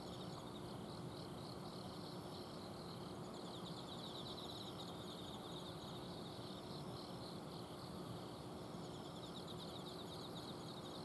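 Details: Autumn insects trilling at night in a home garden in Azumino, Japan: rapid pulsed high chirps from several callers overlap continuously, with a steady low hum from an air-conditioner outdoor unit beneath them.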